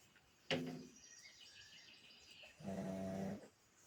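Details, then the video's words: Pug dozing and snoring, two rough, low rumbling breaths, the first opening with a sharp snort, set against soft background bird calls. "my dog snoring"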